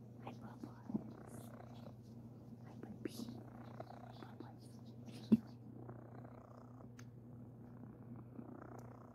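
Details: Cuddly domestic cat Sir Titan purrs in a steady, even drone throughout, with faint soft whispering and a single sharp click midway.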